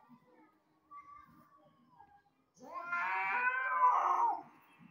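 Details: House cat, described as sad because it thinks its owner replaced it with another cat: a faint thin whine first, then a loud drawn-out wavering meow lasting nearly two seconds, with quiet background.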